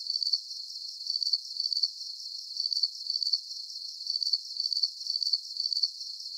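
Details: Cricket chorus in a soothing nighttime recording: rapid high trills broken into short grouped bursts roughly every half second, slightly uneven in rhythm, over a thin high background buzz.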